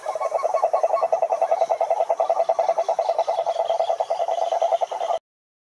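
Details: Chorus of croaking toads, a fast, buzzy pulsed trill held at one pitch for about five seconds, several callers overlapping, then abrupt silence.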